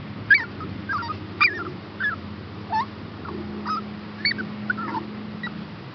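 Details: Rescue puppies, a Chihuahua and a Shepherd hound pup available for adoption, let out brief whining squeaks about once a second. The squeaks slide in pitch, and a faint low hum continues in the background.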